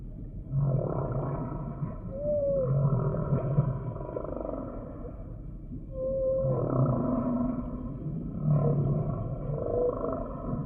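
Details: Humpback whale singing: deep grunting moans recur several times, with short higher whistled upsweeps and a drawn-out mid-pitched tone laid over a rumbling, noisy background.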